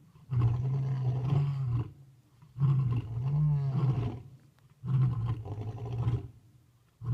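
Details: Lions roaring at night at Talamati in Kruger National Park: deep, throaty roars in long moaning bursts of about a second and a half, repeated roughly every two seconds, low and resonant with slight rise and fall.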